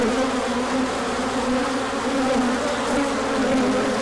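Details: Short stretch of a large bee orientation flight, 24 March 2024, as the sun returned after colder weather; constant mass buzzing, a low drone topped by a brighter hum, even in volume throughout.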